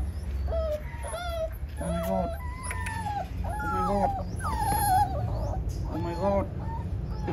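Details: Abandoned puppy left alone in a plastic cage, crying non-stop: a rapid run of high, wavering whines and yelps, some sliding down in pitch, with a person's voice briefly mixed in.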